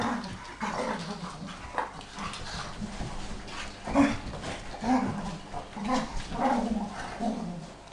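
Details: Beagle in a play tussle with a jack spaniel, one fully grown dog pestering the other in a bout said to last all day; low grumbling growls and whines, rising and falling, about once a second, with scuffling between them.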